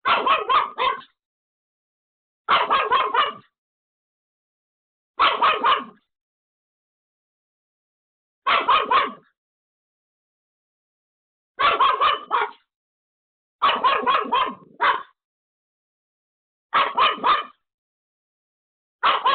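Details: A Pomeranian called Pomeko, home alone, barks frantically at an unexpected visitor: eight tight clusters of rapid shrill yaps, roughly every two to three seconds, with nothing else audible.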